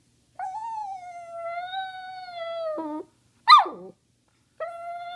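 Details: Talkative pet dog Cody asking for treats: a steady, sustained howl-like tone held for over two seconds that dips into a lower note, then a sharp descending yelp, then the steady tone begins again.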